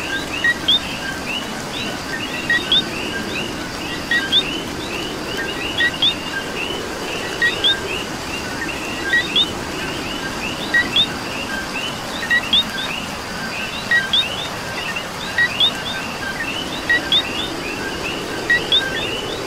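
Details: Puerto Rican coqui calling in rain: clear paired notes, a brief tone followed by a rising whistled chirp, repeated about every one and a half seconds. A steady background chorus of many more distant frogs runs throughout.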